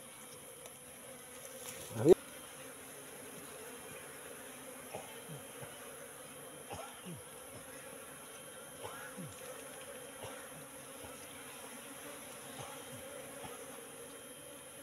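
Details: Asian honey bees from a wild colony settling into a trap box after three months; a steady two-toned wing drone holds throughout, with a loud thump near the start and light scattered swishes and knocks.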